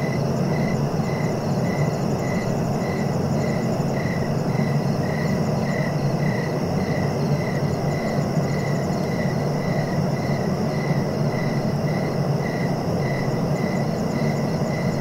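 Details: Cricket chirping in steady, evenly spaced pulses, several each second, over a constant low rumbling background noise.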